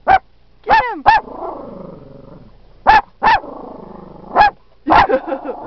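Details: Dachshund named Jackson barking while chasing a buffalo at Yellowstone National Park; sharp, high barks in short bursts with gaps, some doubled, a few trailing into whiny yelps, over faint low background rumble.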